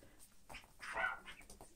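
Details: Toy poodle, one of three females (two chocolate brown, one black) playing with toys indoors; a short, low grumbling growl swelling near the middle, with soft rustling and faint noises around it.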